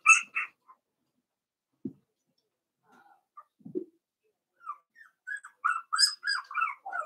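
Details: Four-week-old Cavalier King Charles Spaniel puppies in their pen, from Daisy's litter, giving scattered soft squeaks and brief whimpers, then a quick run of high, thin squeals near the end. Quiet room, no other noise.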